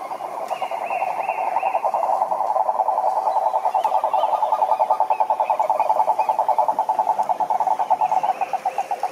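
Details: Cururu toads (Rhinella marina) calling at a lake in Brazil's Atlantic Forest: a loud, steady, low pulsed trill of rapid even beats rolling on without pause, with a fainter higher trill briefly behind it.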